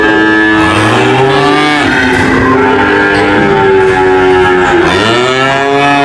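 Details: Cows mooing back to back, rich harmonic calls held for about a second each, the voices gliding up and falling away, other cattle audible behind.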